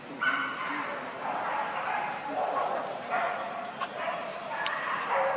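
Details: Baby monkey Leo, hungry and begging its mother for milk, gives a drawn-out wavering cry with stacked overtones. The cry swells and fades across the whole stretch over steady background hiss, with one sharp click near the end.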